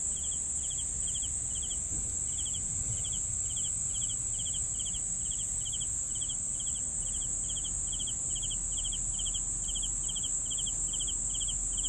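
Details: Steady cricket chirps, short pulsed bursts repeated about twice a second for the whole stretch, over a persistent high insect trill and low rumbling background.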